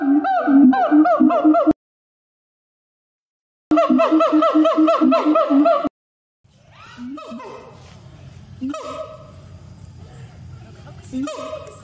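A gibbon gives loud, rapid rising and falling hoots that swoop upward into shrill screams.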